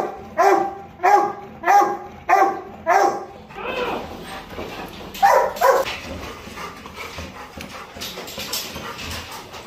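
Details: A Labrador Retriever during a stud mating session gives a run of short, tonal yelping whines, about one every half second.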